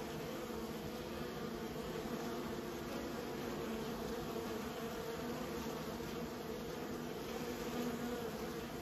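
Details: Honey bees kept by a beekeeper, a steady dense hum of many bees with a constant low drone throughout, no distinct individual calls standing out.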